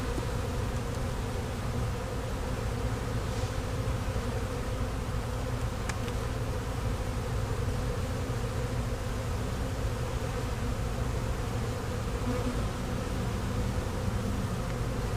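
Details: Newly arrived honey bee swarm, settled in a Louisiana hive box the same day, humming while frames are checked; continuous deep drone without breaks, a few faint clicks on top.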